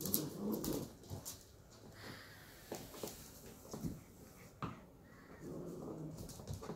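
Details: Rough play between a pair of 11-week-old sheltie puppies: low grumbling growls open and close the stretch, separated by quieter scuffles, taps and thumps of the pups tumbling together.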